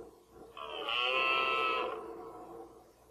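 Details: Rutting red deer stag in 2014, mainly one fourteen-point animal: a single drawn-out, rich harmonic bellow lasting over a second, rising in strength and then fading, with a quiet background.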